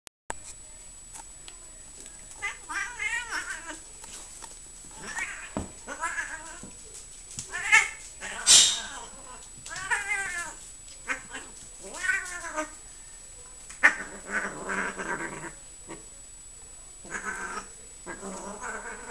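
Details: A Siamese cat meows again and again indoors. Drawn-out, arching wails come every second or two and sometimes rise into caterwauling. A sharp clatter sounds near the middle, and soft background hiss runs throughout.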